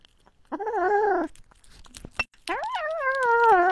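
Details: Domestic cat meowing indoors: a short, wavering mew, a brief pause with small clicks, then a longer meow that rises sharply and wavers as it trails off.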